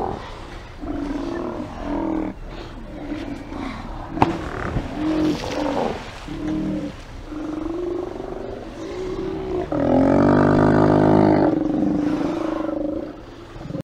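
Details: Steller sea lions stirring at their haulout, 24 September 2018, heard on a live camera: a chorus of gruff, guttural belching roars, short and repeated, building to a long loud bellow near the end.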